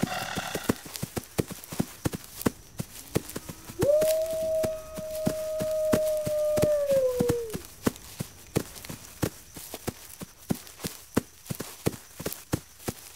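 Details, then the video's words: A lone wolf gives one long, level howl that holds steady for about three seconds, then slides downward at the end. Quick, regular ticking clicks sound before, during and after it. "Wolves Howling"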